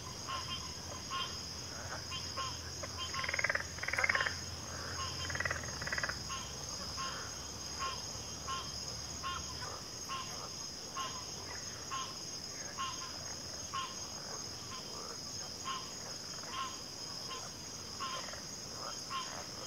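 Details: Frog chorus of many overlapping callers giving short clicky notes in quick irregular bursts, louder around the fourth second, over a steady high insect-like drone and a low hum in the first six seconds.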